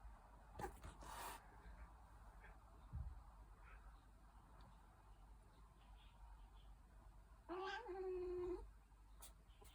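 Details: Young Dragon Li kitten in Hangzhou, Zhejiang, China, play-fighting: a few soft thuds and rustles, then one strong, steady, tonal meow of about a second near the end.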